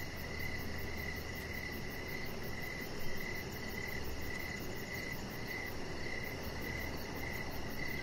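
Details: Crickets on an evening deck lit with decoration lights give a continuous, rhythmic run of chirps, about two each second, with very high faint pulses above and a steady low-pitched background drone.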